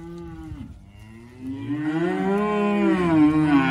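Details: Hereford steers, group of 54, March/April drop, averaging 372.8 kg: a continuous deep lowing that dips, then swells into a louder, rising and wavering bellow with overlapping voices.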